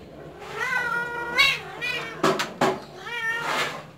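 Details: Persian cat kittens, described as cute and spoiled, giving drawn-out harmonic meows that rise then fall, one near the start and a longer one at the end, separated by a few sharp knocks over a low steady hum indoors.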